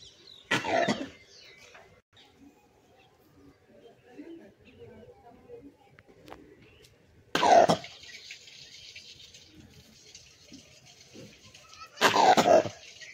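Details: Langur monkey giving three harsh, cough-like bursts, each about half a second long, spaced several seconds apart, with faint low rustling in the quiet gaps between them.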